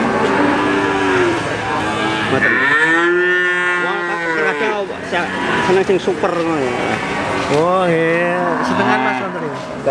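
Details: Crossbred Simmental calf bawling: several drawn-out, wavering moos, some curving upward then falling, following closely one after another.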